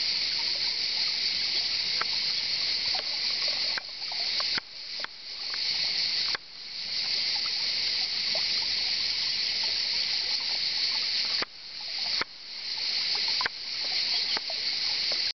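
Cicadas fill the air with a steady, high, hissing buzz that cuts out briefly now and then.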